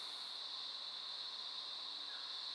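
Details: Crickets (or possibly cicadas) chirp at night outside a hotel room in Queensland, Australia, in a steady, high-pitched ringing chorus.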